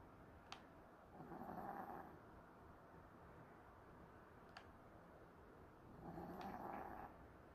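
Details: Faint, breathy snores from a dog asleep indoors over a holiday. Two long, soft rasping breaths come about five seconds apart against steady low room noise, with occasional small ticks.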